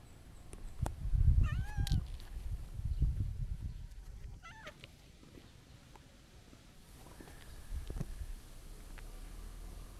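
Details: Stray calico cat looking up and appealing to be petted, giving two short rising-falling meows, one near the start and a shorter one midway, with low rumbling handling noise and quiet outdoor background.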